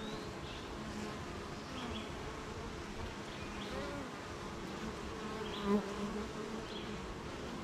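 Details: Honey bees at the hive on a rainy morning: a steady droning hum with shifting tones from passing bees, short high buzzes, and one louder brief buzz near the end.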